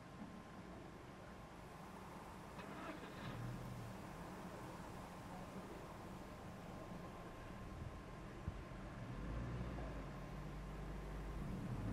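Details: Low idling car and roadway noise with brief distant voices, rising slightly toward the end, and no animal calls.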